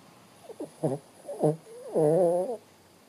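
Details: Sleeping Shih Tzu named Bo Bo snoring: a few short snorting breaths, then a longer, drawn-out wheezy rasp with a nasal, whining tone near the end.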